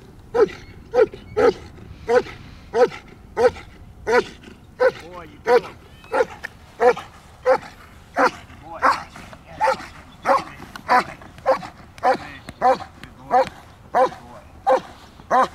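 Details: Large, powerful adult male German Shepherd during protection training with a handler giving commands: a long run of loud, regular barks, roughly one and a half per second, with man's voice in between.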